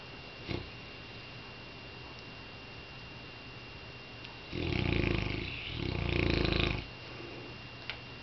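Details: Zoe, a Saint Bernard, snores while dreaming about chasing cats: two long, rough, fluttering breaths back to back, each over a second, loud low rumbles with a buzzy rasp, then quiet room hum with a few faint ticks.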